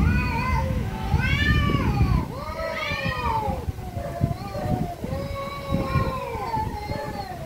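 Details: Angry cats meowing loudly; overlapping long, arching meows and yowls, some rising then falling, in close succession against a constant low rumble.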